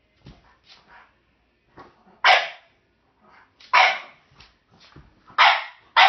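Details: French Bulldog after a bone that a jack russell/rat terrier mix keeps: soft snuffling and low grunts, then three loud, harsh barks spaced roughly one and a half seconds apart, ending on a fourth bark.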